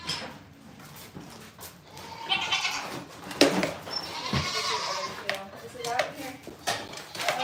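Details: Goat at a farm giving a couple of quavering bleats midway, mixed with people talking and general barnyard bustle.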